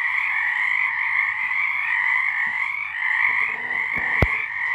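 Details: Frogs singing at night in March 2023, a dense continuous chorus of overlapping trilling croaks forming a steady high band, swelling and fading slightly; a sharp click near the end.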